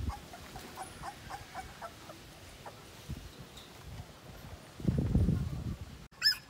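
A two-week-old Siberian Husky puppy gives thin, high-pitched squeaking cries in quick repeated bursts, then a louder whine. Low rustling and handling thumps break in partway through.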